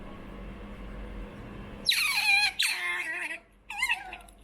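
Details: Choco, a young female pet otter born November 2019 and kept indoors, begs for food with a run of shrill, high squeals that slide downward in pitch, three bursts in close succession, with a faint room hum underneath.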